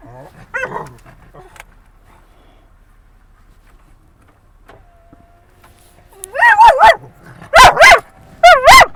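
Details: Dog at a San Diego dog park at sunset, barking at other dogs in a friendly way; a person talks briefly, a quiet stretch follows, then four loud, sharp, ringing barks come in quick succession near the end.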